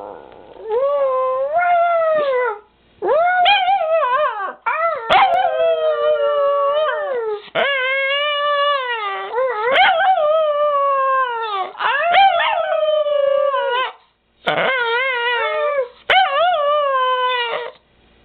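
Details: Female Miniature Pinscher pet dog howling: a long series of wavering, harmonic howls that rise and fall in pitch, in bursts of one to three seconds separated by brief pauses, loud and continuous.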